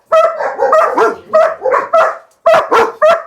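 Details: German Shepherd Dog puppies giving a rapid run of short, high, yelping barks in bursts, some doubled or tripled, with brief gaps between groups; no other sounds stand out.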